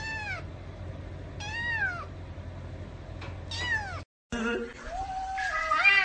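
Young kittens mew in high, reedy calls, each rising then sliding down, spaced a second or two apart. After a brief cut, a lower, wavering cry follows with some faint background chatter.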